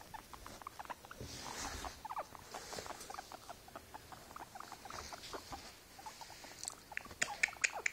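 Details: A tired guinea pig kept as a pet utters a steady run of brief, soft chirping squeaks, more than two per second but unevenly spaced, over faint rustling and bedding noise.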